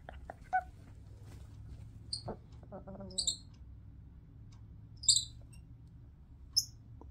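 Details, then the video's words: Warning calls from Wynstan, a young pet Midas tamarin just over one pound: scattered thin, piercing high chirps, some paired in quick succession, mixed with faint lower clicks and murmurs in a quiet indoor setting. "What a micro monkey 🐒 warning ⚠️ sounds like"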